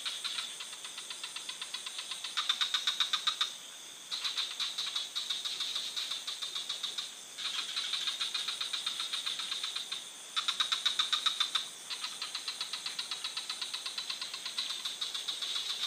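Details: Frog sounds from a forest: repeated bouts of rapid clicking pulses with a high ringing tone, each run lasting one to three seconds and broken by short pauses, under a steady high-pitched insect-like drone.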